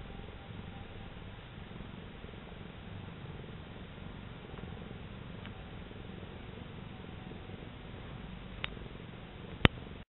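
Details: Sunbathing cat purring as it kneads: soft, low rhythmic rumble holding steady, with a sharp click near the end.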